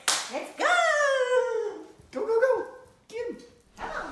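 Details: Basenjis Zulu and Zinga, playing together indoors and bonding for the first time after Zinga was brought home, June 17, 2019; a long, drawn-out, yodel-like howl, then two shorter warbling calls with a brief burst at the end.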